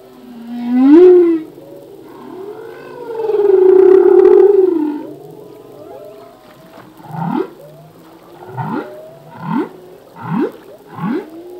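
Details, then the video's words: Humpback whale song phrase from a male: a rising whoop, a long loud wavering moan, then a regular run of short rising swoops about once per second, clear against quiet water. "Whale song - full length humpback whale song"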